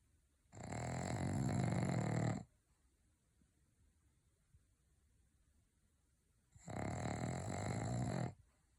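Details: Pug dog snoring loudly, two long rasping, rumbling snores of about two seconds each, separated by roughly four seconds of quiet breathing, in a small indoor room.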